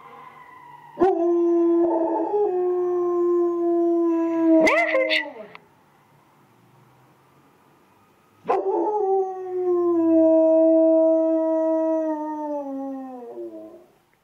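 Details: Female dog Ava, learning to howl at sirens in a busy neighbourhood, gives two long sustained howls, the second sliding gradually lower and fading, separated by a quiet gap, with a brief sharp yip between phrases.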